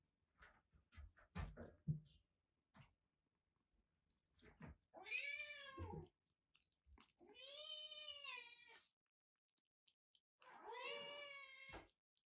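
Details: Kitten rescued soaking wet during heavy rain in western Japan, suffering a cat cold with blocked eyes and nose and treated with medication, at a Kagoshima kitten nursery. Soft knocks and clicks first, then three long arching meows, each over a second, spaced about two to three seconds apart.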